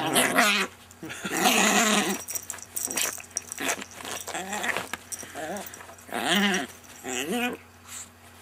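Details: Pet Chihuahua named Rocco being friendly indoors: long stretches of grumbling, wavering whine-growls with wobbling harmonics, loud at first then in two later bursts, over a constant low electrical hum in a small room.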